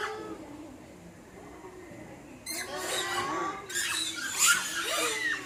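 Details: Zoo-held Formosan rock macaque, 14 February 2020: quiet at first, then sudden harsh, noisy squeals break out halfway through and continue in rough overlapping bursts to the end.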